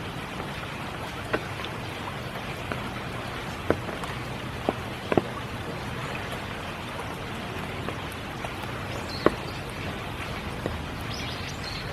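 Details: Steady spring rain at Kiyotaki, Tokyo, with scattered sharp drips against a constant hiss and no animal voices.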